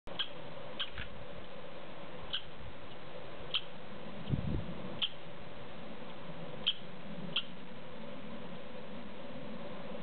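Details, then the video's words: An American red squirrel (Tamiasciurus hudsonicus) in the Sandia Mountains Wilderness gives sharp, high chips spaced irregularly, about a second apart, over a steady low hum. "Red Squirrel Call"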